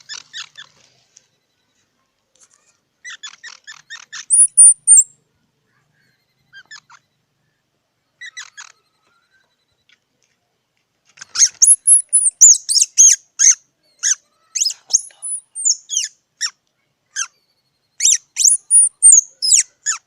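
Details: Squirrel giving sharp, high squeaky chirps in short clusters, some with thin whistled notes sliding near the top; a dense burst of rapid chirping fills the second half, with silent gaps between groups.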